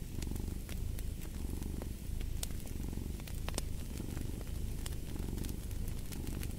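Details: Cat purring steadily next to a fireplace, a low rumbling throb that swells and fades with each breath roughly every second, over sharp pops and crackles of burning wood.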